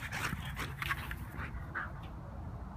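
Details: Rescue Belgian Malinois named Tazz in a high-energy ball game: rapid whiny, breathy bursts follow one another closely, mixed with panting, and a voice speaks to him.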